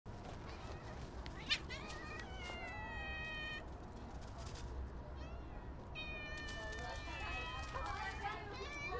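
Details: Stray cats meowing while being fed outdoors; several drawn-out harmonic meows around two and a half, four and seven seconds, some overlapping, over steady low rumbling background noise.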